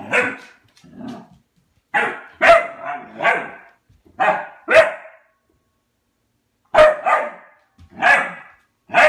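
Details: Albert the dog barks at his empty food bowl for food, giving clusters of two or three sharp barks separated by brief pauses, with a longer silence before a final trio.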